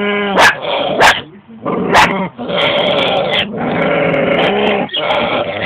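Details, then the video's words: One dog barks three quick sharp times at another dog that holds a big bone in her mouth, which answers with long droning growls, nasal and goat-like, defending her bone. "my dog with the big bone in her mouth , is fighting for whts hers between my other dog whos barking at her"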